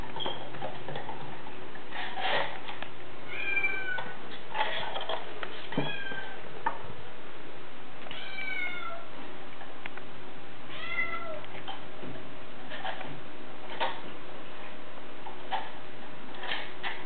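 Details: Bengal kittens running on a cat wheel indoors; about six short meows with rising-then-falling harmonic contours scattered through the stretch, over a steady low rumble and soft ticking from the spinning wheel.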